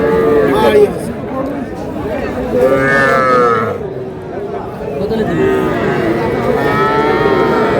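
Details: Young bulls and heifer calves for sale in Madaripur, Bangladesh, on 17 February 2026; a brief moo at the start and a fuller bellow midway, set against busy market voices.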